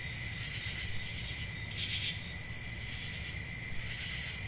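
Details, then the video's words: Forest crickets calling at night in summer. An unbroken high, ringing trill carries through the whole stretch, with one fuller burst of chirping near the middle and a quiet low-pitched rumble underneath. "Relaxing Cricket Sounds For Sleep"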